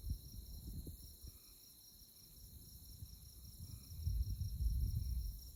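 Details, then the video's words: Moonlit tallgrass prairie at Konza Prairie, Manhattan, Kansas, with insects chirping in an unbroken high, fast-pulsed trill, over low wind rumble that swells toward the end. "Insect Chirping Sounds"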